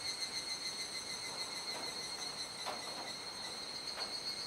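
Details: Cicadas calling together at dusk in Kuji, Iwate, Japan, July 2017, rainy season; piercing steady high tones overlaid by several short broadband rasping bursts.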